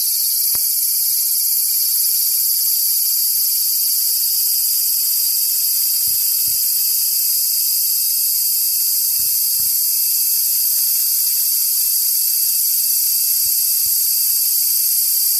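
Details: Cicadas calling loudly and close by while a kitten named Purin tries to get as near as possible; a dense, steady, high-pitched droning buzz holds without pause throughout, with a few faint clicks underneath.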